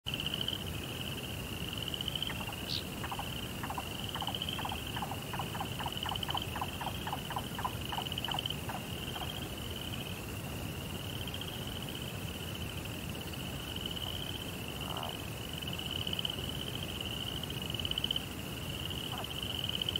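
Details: Crickets at night in a Japanese Zen rock garden with a koi pond: a steady high shrill trill runs throughout, while a faster series of lower clicking pulses speeds up and fades between three and nine seconds, over a soft rumbling background.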